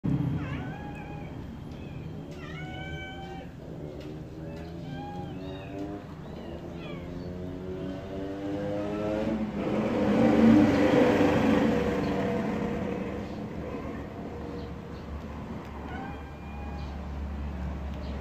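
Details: Baby kittens around feeding time with milk, giving short high meows in quick bursts during the first three seconds and again near the end, over a steady low engine-like drone that swells in the middle.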